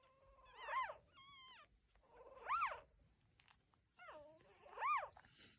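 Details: High, arching squeals and wavering whines from newborn puppies in a litter of nine, lying with their mother indoors; three or four cries come roughly two seconds apart against a quiet background.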